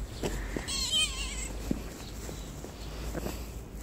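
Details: Kitten greeting a person with a single short, wavering, high-pitched meow near the start, followed by quiet room noise with a few faint taps.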